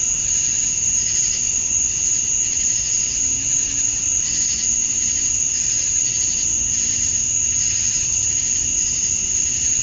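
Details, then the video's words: Summer-dusk chorus of male cicadas in Georgia, USA, calling to attract females. A continuous high-pitched buzzing drone with a sharp constant whine, swelling in soft rhythmic pulses, and a faint low hum underneath. "Cicadas at Dusk, Summer Night"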